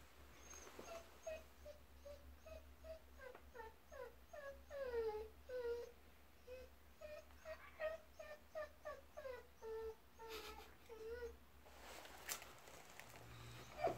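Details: Japanese Akita dog exploring a subway station in downtown Hannover, Germany, giving a long series of short high whimpering whines, many sliding downward, repeated about twice a second, over a low steady hum.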